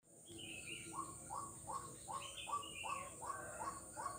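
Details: Frog calling in Kuala Kapuas, Central Kalimantan, on Jalan Kolonel Sugiono, 4 November 2021: short upward-sliding notes repeated about twice a second, with higher scattered chirps above and a steady high hiss throughout.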